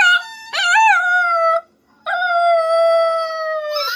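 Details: Puppy gives a loud howl that rises and wobbles, stops briefly, then a long level held howl of about two seconds ending in a brief upward squeak.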